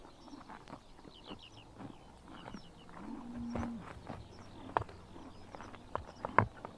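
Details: Grazing horses biting grass under morning sun, summer, Mongolia; scattered sharp tearing crunches and a few louder snaps, plus a brief low steady tonal call near the middle and faint birds chirping.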